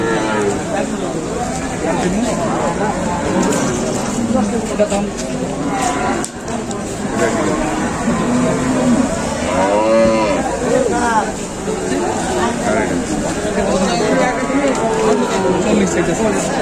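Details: Bulls for sale for Qurbani at the Batajor haat livestock market on Tuesday, 26 March 2024; a drawn-out lowing moo rises and falls near the middle, partly buried under constant crowd chatter, voices and market bustle.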